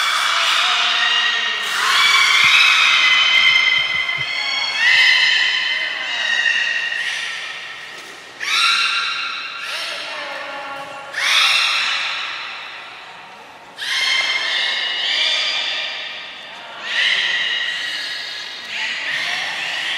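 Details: Captive belugas Gray, Nana and Mirai at Port of Nagoya Public Aquarium, training session, 6 August 2023: loud, nasal, whinny-like harmonic calls repeated roughly every three seconds, each fading away, in a reverberant indoor space.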